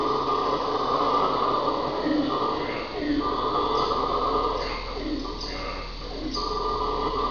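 Red howler monkey giving a deep, continuous roaring howl that swells and rasps without pause.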